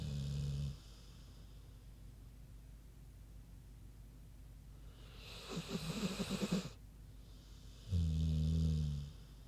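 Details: Sleeping pig Queenie with a low humming snore, a long quiet stretch, then a louder breathy rattling exhale and another deep droning snore.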